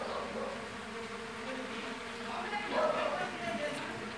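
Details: Mandaçaia stingless bees (Melipona quadrifasciata, MQA) from a very populous colony with enormous brood discs, heard while the colony is being divided; a dense, steady hum fills the clip, with a brief human voice near the end.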